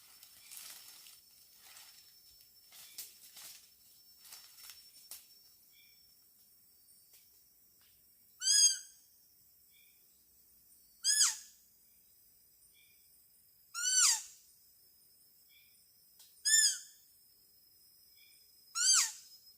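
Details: A wild deer in the Kalimantan forest of Borneo gives sharp, high, ringing calls, each dropping slightly in pitch, about every three seconds, in a setting where deer are lured with calls made using assembled green antlers.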